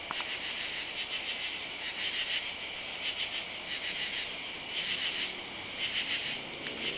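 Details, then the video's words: Katydids calling on a summer night, July 31, under oak trees in a side yard and along a driveway: a dense, high, raspy chorus that pulses in bursts about once a second over a steady insect hiss. "Katy-dids (insect)"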